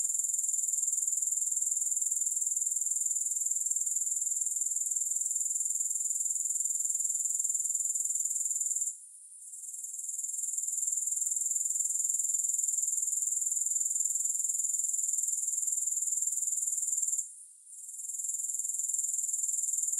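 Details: Continuous high, sizzling trill of grasshoppers with no music, pausing twice for under a second before picking up again at the same pitch.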